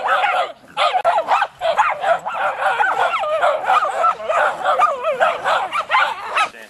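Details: Jagdterriers worrying a raccoon, two novice dogs learning from a more experienced one; a near-continuous chorus of shrill overlapping yelps and excited barks from more than one dog.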